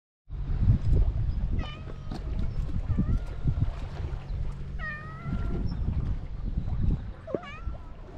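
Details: Stray cats on a Japanese cat island beside the sea, recorded with a GoPro HERO8; four short, clear meows spaced a second or two apart over a heavy, low rumble of waves and wind.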